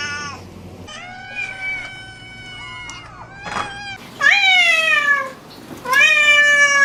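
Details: Cats meowing in a series of calls: a held, wavering meow followed by two louder, rising-then-falling meows near the end, with a brief rustle between them.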